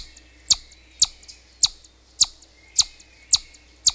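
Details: Chipmunk calling: a sharp, high chip repeated steadily about every half second, each one brief and clicky, with faint softer notes between and a quiet low background hum.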